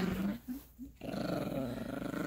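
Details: Yorkshire Terrier puppy Gracie growling during play with a dog toy on a bed indoors; a steady low rumbling growl, broken by a brief pause, then resuming strongly.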